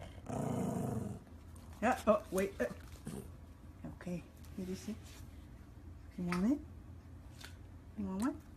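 A Maltese dog gives short, high yappy barks and rising whines, with a person talking nearby.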